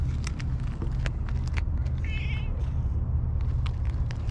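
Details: Stray black-and-white tuxedo cat at a fishing port, filmed while eating a lickable treat: one short, wavering mid-pitched meow about halfway through. A heavy low rumble runs throughout, with scattered clicks and knocks.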